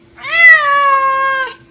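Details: Loud, long meow from a pet Egyptian Mau after catching a rat. It is steady and strongly harmonic, held over a second, easing slightly lower at the end.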